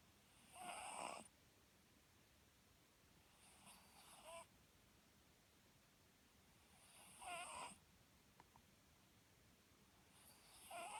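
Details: Papillon dog snoring indoors, a pet that was taken to the vet after its new owner was startled by the snores and found healthy; broad raspy snores roughly every three seconds, some faint and some louder, over quiet background.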